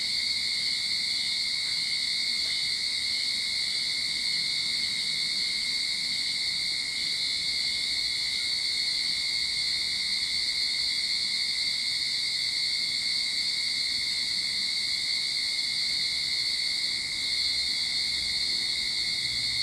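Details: At the start of summer in a Sydney backyard, cicadas keep up a continuous shrill electric buzz, a dense high drone with a separate thin tone below, never pausing or changing in volume.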